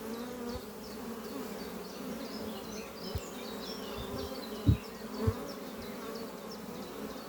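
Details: Bees flying busily at a horizontal hive on a spring morning, the colony having overwintered well and raised many new workers. Rich low humming buzz with a few knocks and bumps, plus soft high chirping behind.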